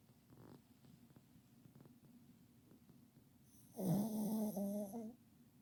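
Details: Pet dog asleep beneath a kotatsu, snoring heavily: soft ticking and faint breaths, then one loud, grating snore of over a second with a wavering, fluttering buzz before it fades.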